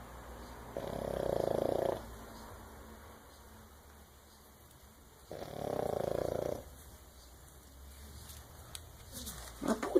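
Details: Sleeping French Bulldog giving two long, rough snores a few seconds apart, each a harsh throaty rasp of over a second, with quiet breathing between and a brief rustle near the end.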